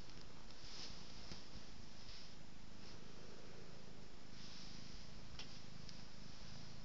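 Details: Domestic cat purring while being petted and rolling, a steady low rumbling drone running through the whole recording, with soft rubbing and brushing noises from the petting in a small indoor room.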